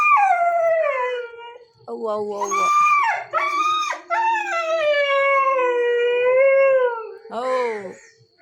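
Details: Nine-month-old puppy Chikku howls and cries after his father left without him, long, mournful, drawn-out wails falling in pitch, broken by short yelping bursts, while a person softly tells him not to cry.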